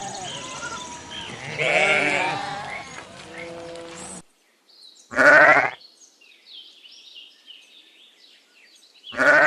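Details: Lamb bleating: a long, quavering call at the start, then two loud, sharp bleats separated by a few seconds of near silence.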